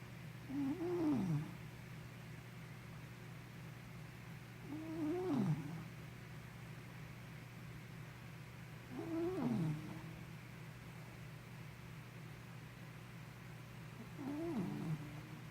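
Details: Henna the sleepy puppy snores in a slow, even rhythm, about one breath every four seconds, and each breath carries a short, wavering whistle that slides downward over a constant low background hum.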